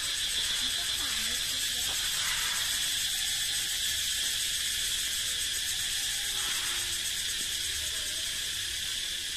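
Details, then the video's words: Male cicadas in a forest, calling to advertise their fitness, fill the air with a loud, steady, high-pitched buzzing drone that echoes and never lets up. "เสียงร้องจักจั่น เสียงดังก้องป่า"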